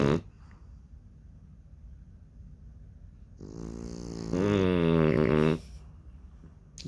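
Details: Baby French Bulldog puppies in deep sleep, snoring: a quiet, low, steady rasp, then a loud, buzzy, drawn-out snore that swells and holds for about two seconds before stopping abruptly, with a soft thud at the start and end.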